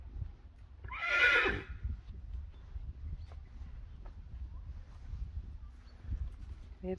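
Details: Friesian horse playing in an outdoor arena in winter, when the pasture is too wet. A single loud, shrill, quavering whinny near the start falls in pitch over under a second, followed by soft hoof thuds and quiet Dutch speech.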